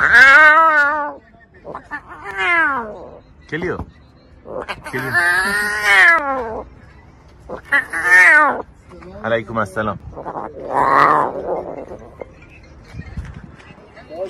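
A lion cub gives a series of strained, meow-like calls, each rising and falling over about a second.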